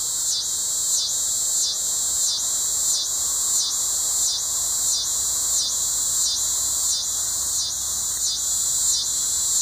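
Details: Coastal scissor grinder cicada, also called the yodeling cedar sucker, calling in Sea Isle City, New Jersey, on August 20, 2016; a high shrill rasping buzz pulsing steadily, roughly one and a half pulses per second, continuous throughout.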